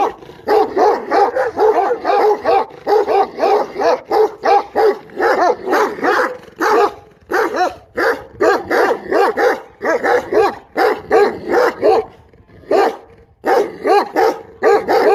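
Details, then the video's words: Long stretch of steady, rapid dog barking, roughly two barks per second, with only brief pauses, all loud and harsh. "صوت الكلب"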